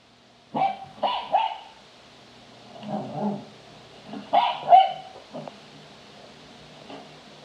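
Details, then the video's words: A Cavalier King Charles Spaniel gives short, sharp barks in quick bursts with brief pauses while playing. "Cavalier King Charles spaniel barking and playing and howling"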